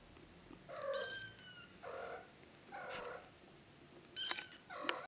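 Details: An odd-eyed Norwegian Forest kitten, one month old and male, mews four or five times. The first call is long and slightly falling, the next ones are shorter, and the last are harsher and more broken.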